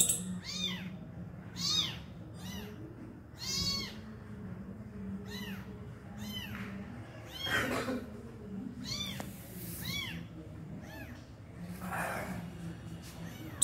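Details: Meows of a kitten with its injured mother, who finally feeds her abandoned young; a long series of short, high arched cries at uneven intervals, with some rustling and a low steady hum.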